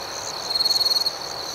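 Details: Crickets chirping at night in a calm outdoor setting: a steady, high, ringing tone, with a rapid burst of about a dozen pulses in the middle, over a faint hiss of background noise.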